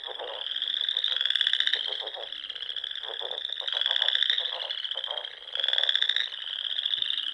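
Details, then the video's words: In the Nebraska Sandhills at dusk in spring, a frog chorus rings from small ponds: layered high trills rise in loud swells about every two to three seconds over a constant pulsing background. "RELAXING SOUNDS OF FROGS"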